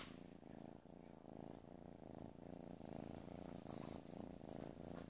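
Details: Playful kitten purring steadily, a continuous low rumbling throb with rhythmic pulses through the whole stretch, indoors.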